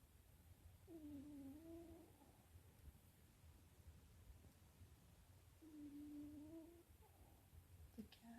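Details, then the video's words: Sleeping domestic cat snoring quietly indoors: two soft, nasal, whistling snores about five seconds apart over a faint low hum, followed by a person's soft voice. "My Snoring cat"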